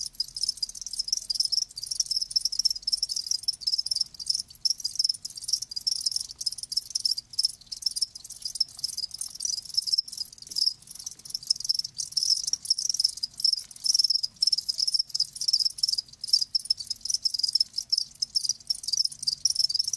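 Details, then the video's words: Live crickets chirping in a dense, continuous high-pitched chorus, rapid overlapping pulses with no pauses, no other sounds. "Live Crickets 60min "Natural Sound""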